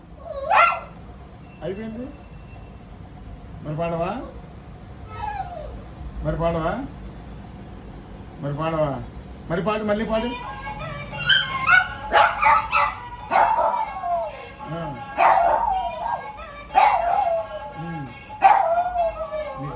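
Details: Pet dog indoors 'singing' while its owner, speaking Telugu, urges it to sing again: a run of wavering, whine-like howled notes that bend up and down, some short and some drawn out, growing louder and denser toward the end.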